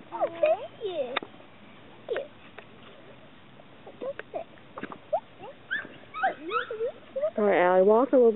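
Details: Chesapeake Bay Retriever puppies giving thin, squeaky whines that bend up and down in short bursts, scattered irregularly, with people talking to the pups and a louder voice near the end.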